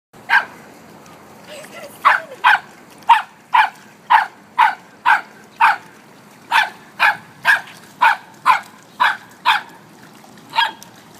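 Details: Samoyed and Chow puppies playing together, one named Nora and the other Henderson, after Nora taught him to play in water; a long run of about twenty sharp barks, mostly evenly spaced, with brief pauses and faint background hiss.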